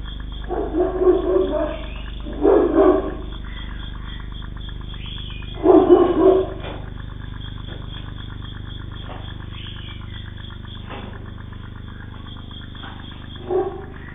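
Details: Giant Bully Kutta guarding dog, a Pakistani mastiff, giving deep, hoarse, growling barks in three clustered bursts during the first six seconds and a short final bark near the end, over a steady low hum.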